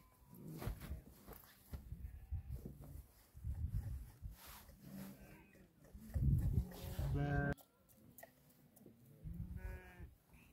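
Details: Herd of some 2000 sheep guarded by eight Tibetan Mastiffs in rural Dhorpatan, Nepal; several scattered bleats from different animals at varying distances, with steady low rumble and shuffling in the background.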